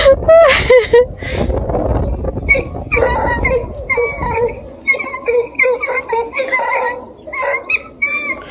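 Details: Two Bluetick beagle puppies from a scent hound pack near Kingston, Ontario, aged 4 and 5.5 months, on their first chase of a deer hide; a person speaks at first, then the pups give repeated short, high, yelping bays with brief pauses.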